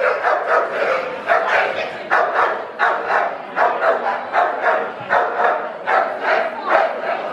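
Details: Bull Terrier barking in the show ring at the West of England Bull Terrier Club Championship Show, March 2016: rapid, punchy barks in quick pairs and runs, roughly two per second, with faint hall voices beneath.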